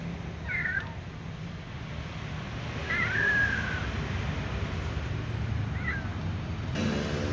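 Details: Little cat meowing while indifferent to toys: three short, high wavering meows, the middle one longer and drawn out, over steady low background rumble.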